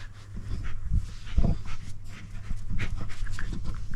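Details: Alf, an eight-month-old intact male Toy Poodle born 14 April 2023, mounting for the first time. His breathy, rapid panting comes in short broadband puffs, with a few louder huffs near the middle and low background rumble.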